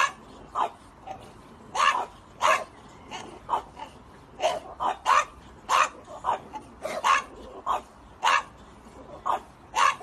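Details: Pet French Bulldog barking repeatedly in short, sharp yips, about ninety-five per minute, uneven in spacing, each burst brief and bright.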